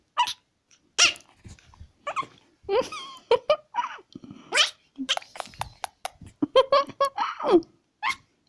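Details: Pekingese puppy yelping and whining indoors: short bursts of high, wavering cries, some sliding downward, in quick irregular runs, with a person's voice now and then.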